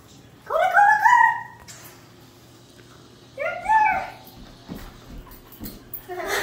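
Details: Bernese Mountain Dog chasing bubbles, letting out two long, arching whining howls that rise then fall, a few seconds apart, followed by soft thuds and movement sounds and a brief start of another whine at the end.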